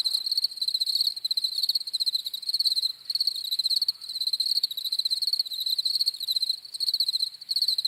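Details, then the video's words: Crickets chirp in a thick, high, shimmering chorus of rapid overlapping pulses, wavering in loudness with brief dips, with no other animals or voices heard. "CRICKETS CHIRPING SOUNDS"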